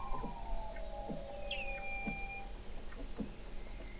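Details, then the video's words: Under-ice Weddell seal vocalizations from McMurdo Sound, Antarctica, November 2017, recorded 21 m below the sea ice: a high whistle drops sharply then holds level for a second, over a fainter lower falling tone and scattered short chirps. "Song of the Antarctic Weddell Seal"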